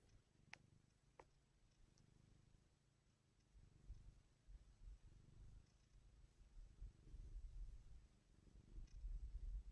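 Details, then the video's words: Domestic cat purring while being petted: a soft, continuous low rumble that grows louder and more pulsing in the second half, with two brief sharp clicks near the start. "PETTING CAT"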